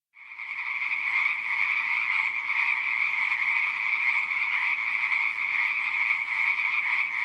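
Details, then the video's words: Frogs in a pond, a dense unbroken chorus of many overlapping trilling calls, bright and high, fading in at the start and then holding steady throughout, with no other sounds. "Frogs In Pond Sound Effect"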